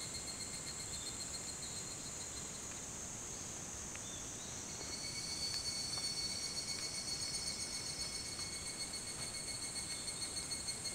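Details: Higurashi chorus before dawn, 4:30 a.m., 28 July 2011, on the Hitotsubashi University grounds in Kunitachi, Tokyo: shrill layered tones sustained throughout. About halfway through they swell into a louder, quickly pulsing trill.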